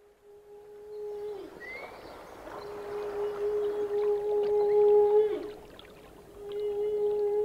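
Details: Whale song: long, steady, low moaning tones held for several seconds with a fainter higher overtone, each ending in a short downward bend, plus a brief rising squeak near the start and a soft watery hiss underneath.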